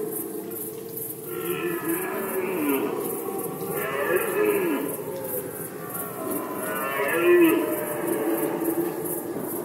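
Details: Red deer in rut season, Poland, 2020: three deep, hoarse, harmonic roars, each about one to two seconds long, rising then falling, over a steady high-pitched pulsing insect-like chirr in the background.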